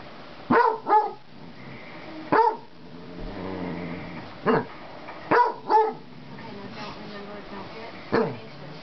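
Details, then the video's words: Pet basset hound begging a cat for friendship, barking in loud, falling bursts, often in pairs, spread over several seconds, with quieter murmuring between the barks. "Boomer (basset hound) begging for Marcels friendship"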